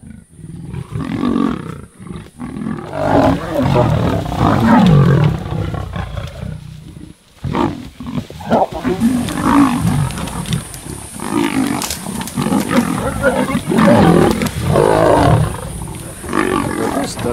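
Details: Sub-adult lions of the Kambula pride attacking and killing a male leopard at MalaMala Game Reserve, South Africa; overlapping harsh growls and snarls in bursts throughout, with short pauses, brief men's voices between outbursts.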